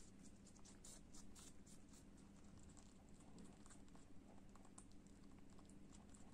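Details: Pet lop rabbit named Kopol munching apple, soft crisp crunches coming in quick uneven runs, louder at first then easing, over a faint low background hum.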